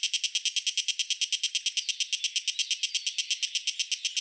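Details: Cicada from Taiwan, the Hiko higurashi, 32 mm long: steady high, metallic rasping pulses repeat at a quick, even beat of about three per second throughout, with faint thin sliding whistles in the background.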